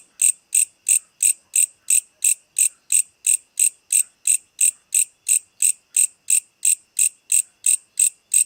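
A night insect gives sharp, high, buzzy chirps, about three per second in a steady rhythm.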